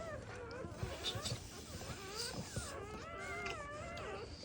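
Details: Just-born black Labrador Retriever pups from a first-time mother, revived with emergency CPR, let out overlapping thin wavering whines and squeals, several rising and falling in quick succession against soft room noise.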